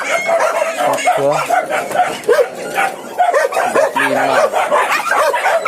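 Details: At a big Indonesian breeding farm for anjing kampung, village dogs kept for hunting and guarding let out bursts of barks and a few yelps, some lower and longer, over a steady background of voices.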